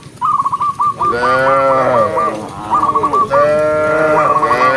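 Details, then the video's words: Long, rich moos from tame cows herded in the countryside among dozens of large cattle; two sustained calls, the second rising in pitch, with short trills of high repeated chirps before and between them. "cow sound cow Moo"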